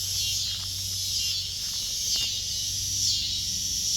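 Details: Cicadas singing in a backyard around kittens: a continuous high buzzing chorus with regular pulsing swells, a low hum underneath and a few faint clicks.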